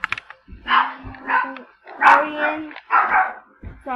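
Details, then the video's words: A pet puppy barking at a person indoors, giving about four short harmonic barks at uneven intervals, with a voice speaking nearby. "my puppy is barking at my brother."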